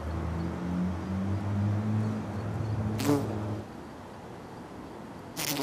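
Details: A bumblebee filmed in close-up macro gives a low, steady droning buzz with slightly wavering pitch that fades after a sharp click, with another brief click mid-way.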